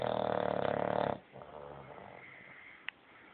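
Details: Bulldog snoring, a loud rattling snore lasting about a second, then softer wheezy breaths with one brief click.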